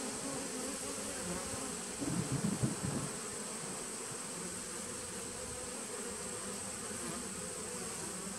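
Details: Honey bees from a 2017 nucleus colony, recorded 19 September 2018, give a steady low droning hum with a brief louder buzzing flare around the third second before settling back to an even drone.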